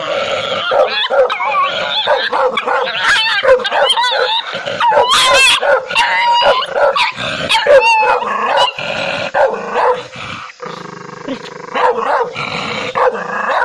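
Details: Angry dog barking loudly in rapid, irregular bursts of harsh barks and yips, with short whining notes mixed in and few pauses.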